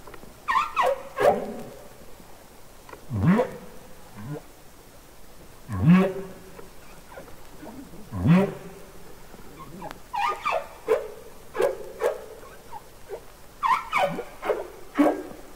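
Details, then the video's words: Humpback whale song recorded underwater for Capitol Records ST-620: low upswept whoops, repeated every few seconds, alternate with clusters of brief, high, falling squeals and chirps, forming a patterned sequence. "Songs Of The Humpback Whale"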